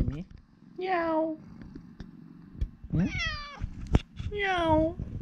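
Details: Urara, a former rescue cat, trading meows with her owner indoors: three drawn-out, falling meows spaced about one to two seconds apart over faint low purring and clicks.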